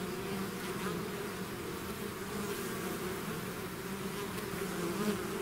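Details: Constant low humming of a bee swarm leaving its hive, a smooth wall of buzzing with faint passing whines from single bees.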